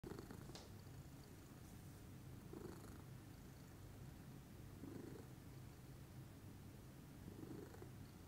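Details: A calm lilac Scottish Fold cat purring in the morning indoors: a soft, steady low rumble running throughout, with faint brief rustles now and then.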